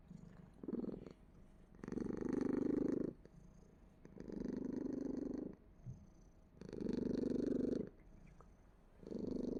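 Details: Pet cat purring in a throaty, vibrating rumble that swells into four strong phases, each about a second long, alternating with softer, breathy stretches; a quiet indoor setting with no other clear sounds.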